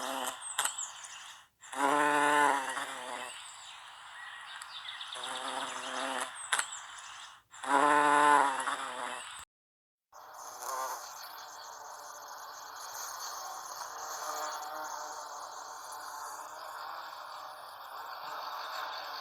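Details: American bumblebee (Bombus pensylvanicus) pollinating Salvia clevelandii flowers: two loud, droning, harmonic-rich buzzing bursts of about a second each, separated by quieter gaps, followed by a stretch of hissy background noise.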